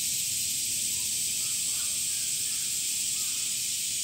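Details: Male cicadas in summer produce a steady, intense high-pitched buzzing hiss without pause, faint chirps barely showing underneath.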